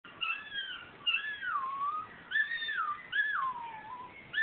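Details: Duke, a male Miniature Schnauzer indoors at home, sings along from the couch whenever a Carrie Underwood song plays on TV: wavering, whiny howls that slide up and down in pitch, in four drawn-out phrases with brief pauses between.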